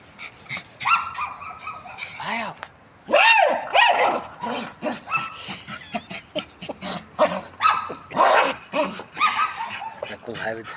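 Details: Jagdterrier named Alfa, very angry at a tyre, lets out rapid high yelping barks and whines in short arched bursts, densest in the middle of the clip, with human voices and scuffling mixed in.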